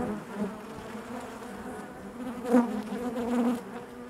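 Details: Honey bees buzzing inside their hive: a steady, low, droning hum with layered harmonics, swelling briefly louder near the middle and again toward the end, with faint soft clicks and knocks from movement within the colony.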